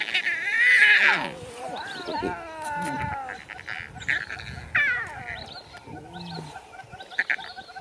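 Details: A one-day-old tiger cub crying with high, wavering mews that slide downward, the loudest near the start and more spaced out later. Human voices murmur in the background.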